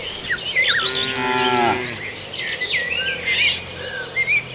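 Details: A single drawn-out moo, low and harmonic, lasting about a second, from cattle eating green grass in a rural area. Busy bird chirping and twittering continues around and after the call, over a faint insect hum.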